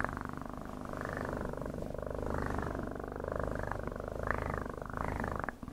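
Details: Continuous close cat purr, a fast even throbbing rumble that swells and eases gently with each breath, uninterrupted for nearly six seconds before fading at the end.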